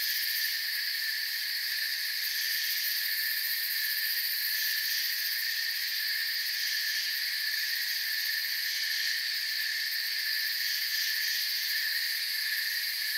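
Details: A steady nighttime forest chorus of crickets, a continuous shrill trilling from many insects that holds an even level throughout, offered as relaxing background for sleep.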